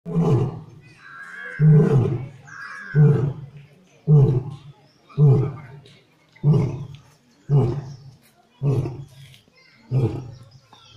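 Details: Lion in Bannerghatta zoo, India, giving a roaring series: about nine deep, grunting roar pulses spaced roughly a second apart, each a low, throaty burst, with faint voices in between.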